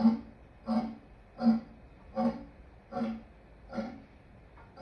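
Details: A lion gives a steady series of deep, short grunts, about seven in five seconds, each a low throaty pulse with rough overtones, evenly spaced with quiet gaps between them.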